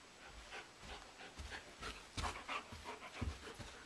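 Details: Indoor play fight between a German Shepherd, Blondi, and a Doberman, Sugar Tree, with the sheep Dasher and Edie looking on, filmed in April. Quick, breathy panting mixes with brushing scuffles and soft bumps, growing louder toward the end.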